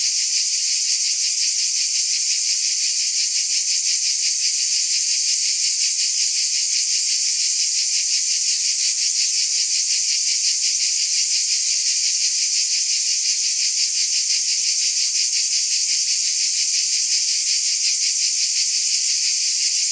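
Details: Cicadas in full chorus: an unbroken, high-pitched electric buzz with a fast, faint pulsation near three per second, perfectly steady in loudness for the whole stretch, no birds, wind or people.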